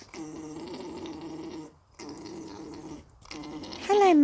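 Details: A pair of alpacas mating, with the female being mated, gives a low, buzzy, gurgling drone in long steady bursts, a strange noise the owners ask about.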